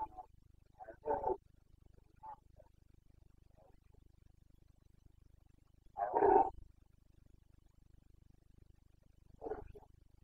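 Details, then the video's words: Carpathian red deer stag during the breeding season in the Bucovina mountains, 29 September 2022, its rutting roar known locally as boncănit; short, rough, harmonic bellows at spaced intervals, the loudest midway, with quieter grunts between. "Boncănit / Carpathian stag Breeding season"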